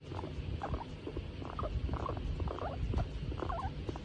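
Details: Female skinny pig, a hairless guinea pig, content while being stroked: soft squeaky chirps and little rumbling bursts about twice a second over a low background rumble.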